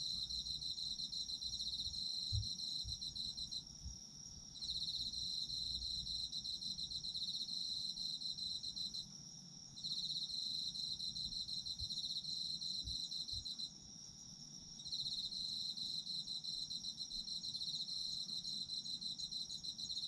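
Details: Autumn insects trilling for sleep relaxation: sustained shrill pulsing bursts interrupted by brief gaps every few seconds, with a few soft low thumps in the background.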